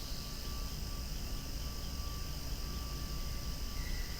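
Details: Steady high-pitched cicada drone, loud outdoors beside swaying flowers, continuous and unchanging, over a heavy low rumble of distant background noise with a faint sustained whine beneath.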